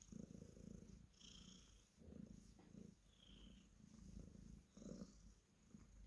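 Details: Cornish Rex cat purring while being petted: a low, soft rumble pulsing in steady cycles of roughly half a second, quiet and close, with faint higher squeaks over the top.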